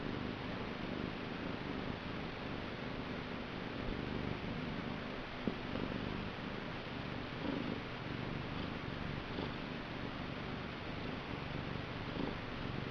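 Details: Niku, a pet cat, purring vigorously in a small room; a steady low rumbling purr continues throughout, with a faint hiss and one brief click midway.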